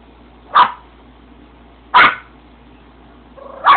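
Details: Small Yorkshire terrier barking at the camera for attention: three sharp, high barks spaced over a second apart, loud against a low steady hum.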